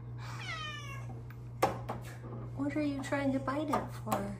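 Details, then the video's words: Luna the house cat, up in her beloved window spot for petting, opens with one clear falling meow, followed by a woman's cooing voice, a sharp tap and a steady low hum throughout. "Meowy kitty returns to her favorite petting window!"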